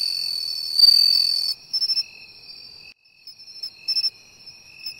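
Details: Bell cricket at the seaside, located by ear: a loud ringing high trill for about a second and a half, then quieter bursts, while another insect keeps up a lower, evenly pulsed chirp throughout.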